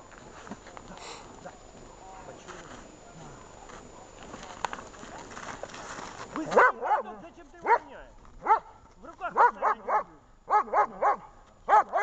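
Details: German shepherd female during protection training: after a stretch of applause-like clatter and a person talking, sharp strong barks start halfway through, coming singly or in pairs about every half second to second.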